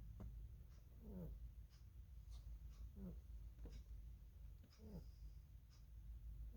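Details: A sleeping pet rabbit snoring: soft low rasping breaths with short squeaky upward-bending notes, recurring roughly every one to two seconds over steady low background hum.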